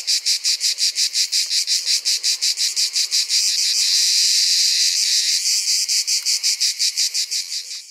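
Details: A Provençal Orni cicada sings in pulsed rasps that merge midway into an unbroken, shrill buzz for about two seconds, then return to regular rapid pulses.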